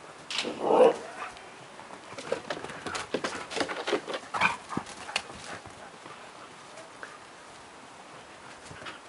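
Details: Garden-loving dog racing around outdoors in the evening; one short, sharp bark near the start, then scattered scuffling and clicking noises as it runs, with faint background hum.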